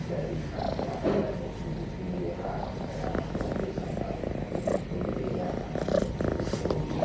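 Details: Tabby kitten yawning and stretching in a peaceful moment: steady, low rumbling purr running throughout, with faint background murmurs.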